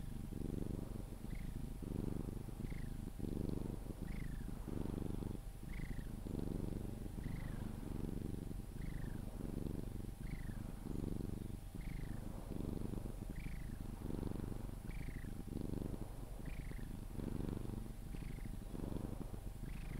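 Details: Sphynx cat held and cuddled, purring until falling asleep. A low, grainy, unbroken rumble pulses with about thirteen breaths in twenty seconds, and a brief faint squeak at the start of nearly every breath.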